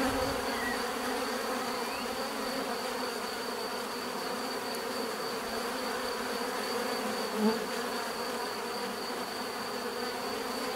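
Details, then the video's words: Many bees humming together in an unbroken, even drone with stacked tonal bands and a faint high steady whine; one short louder buzz from a nearby bee stands out partway through. "bees therapy relaxing natural buzzing sound"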